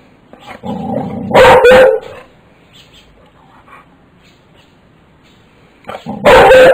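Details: A one-year-old boxer dog meets a caterpillar in a yard. It gives a low growly whine, then a loud, harsh double bark. After a quiet pause it lets out another loud burst of barking.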